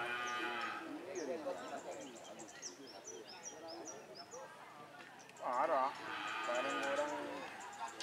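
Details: Cattle at a karapan sapi bull racing training for the Galis and Blega districts at Banyubunih field, Bangkalan, Madura, East Java, Indonesia; two bending, nasal moos, one near second one and a louder one past five seconds, over crowd murmur.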